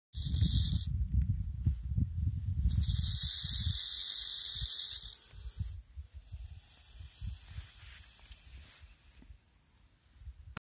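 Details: Seven-year-old female western diamondback rattlesnake from Colorado, full of eggs, rattling angrily to show her danger: loud, dry, continuous buzzing in two bursts, the first under a second, the second about two seconds, followed by quieter rustling and handling noise.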